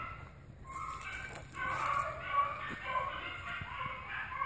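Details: Hunting dogs in pursuit of an agouti give a continuous stream of overlapping, wavering bays and yelps, rising in intensity after the first second, with faint thuds beneath.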